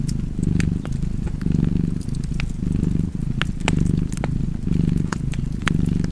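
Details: Relaxed cat purring in a low, rolling rumble that rises and falls with each breath roughly every second, over scattered crisp crackles from a fire.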